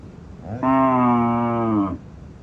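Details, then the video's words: Loud cow on a village farm producing one steady, deep moo lasting just over a second, even in pitch with a slight drop at the close. "cow loud noise"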